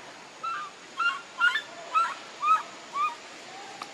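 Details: A baby monkey cries for milk from its mother: six clear, tonal, slightly falling whimpers come roughly every half second against steady low hiss.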